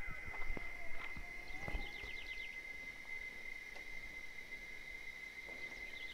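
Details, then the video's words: In the sertão of Bahia, Brazil, wild cicadas keep up a constant, level high-pitched whine. Bird chirps and whistles come early, and a fast trill of short notes follows around the middle. "Tempo De Cigarras - Cigarra Cantando"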